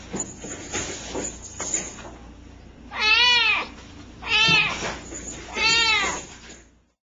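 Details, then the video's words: Tiny kitten with a big voice, recorded October 30, 2009, giving three loud, drawn-out meows about one and a half seconds apart, each bending up then down, after some quieter indistinct rustling. "The littlest kitten with the biggest voice!"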